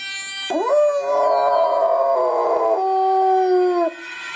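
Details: Domestic dog set off by a passing Dutch ambulance siren, giving a sustained howl that swoops up sharply at the start, then holds a level, slightly wavering note for about three seconds before dropping away.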